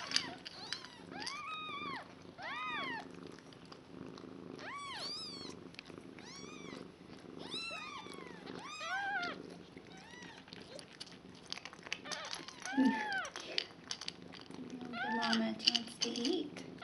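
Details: Five one-day-old kittens with their mother Nala, a shelter cat taken into foster care in February 2015, repeat short arched mews about three per second, shrill and insistent, over faint rustling and brief speech.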